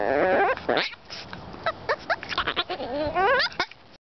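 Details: A 12-week-old Shih Tzu puppy "talking", giving a run of wavering, yodelling whines and short yelps, some rising and bending in pitch, broken by brief squeaky bursts, ending in a longer warbling moan.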